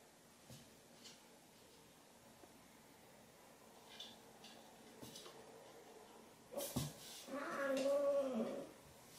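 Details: Ginger tabby cat Chai, lying in a chilled aluminium cat pot in summer, threatens and swats housemate Sushi, a mackerel tabby, who plays with her tail. Quiet indoor rustles, a knock near seven seconds, then one loud wavering, harmonic growling yowl.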